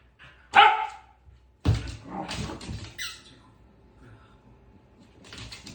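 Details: Pembroke Welsh Corgi wagging its tail while playing with a ball. One sharp bark, then thumps and rustling from play, a brief high squeak and more clatter near the end.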